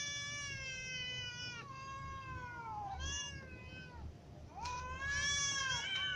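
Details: Ginger cat with little and adult cats meowing because they are hungry; a string of long, falling meows, some short and upturned, overlapping voices, a sharper rising meow near the end, low background rumble.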